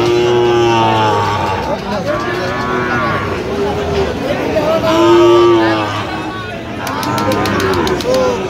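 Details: Young Sahiwal bulls for sale at a Kurigram market, Bangladesh, 14 October: repeated long lowing calls, one loud arched moo near the middle, others layered beneath, with human talk throughout and a quick run of ticking sounds near the end.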